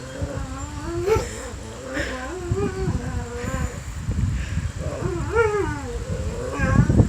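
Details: Pet dog singing, giving wavering, bending howl-like tones that rise and dip, one after another, some with sharp upward swoops, over a low rumble and steady background hum.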